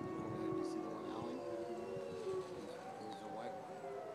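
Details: Several gray wolves (Canis lupus) howl together, long sliding tones overlapping into a wavering chorus.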